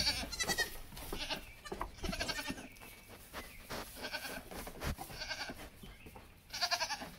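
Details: Several high, quavering bleats from Nigerian Dwarf goats, kids at play beside their mothers, come in separate bursts about every one to two seconds over background shuffling and thumps.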